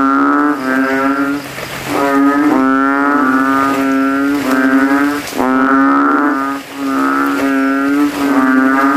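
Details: After rain at night, kodok kintel (banded bullfrogs) swell their throats in a cemetery puddle, rival males vying for volume; a steady series of loud, buzzy, low moaning notes, each roughly one second, with brief dips between.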